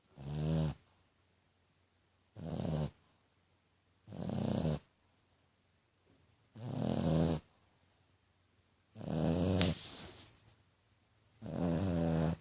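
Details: A sleeping female French Bulldog snores like a little pig: six harsh, gurgling, buzzy inhalations, each under a second long, repeated about every two seconds with silence between.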